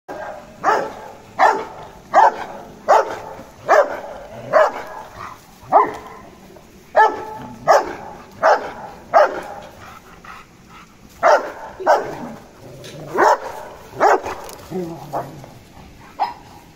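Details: Resident dogs, a Rottweiler and a German shepherd, meeting a new Golden Retriever and showing superiority in the pack order: a run of loud, sharp barks, about one every 0.7 seconds, with brief pauses between bursts and faint room noise.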